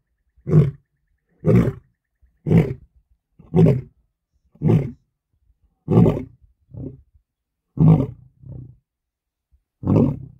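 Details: Lion roaring in early morning sunshine before settling down for a nap: a series of deep, low grunting roars about one per second, with a few softer, shorter grunts in between.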